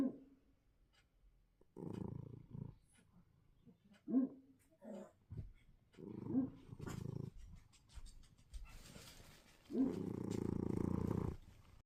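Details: Cat snoring while asleep, rough, raspy low breaths in slow irregular bursts, some short and some drawn out over a second, separated by quiet pauses.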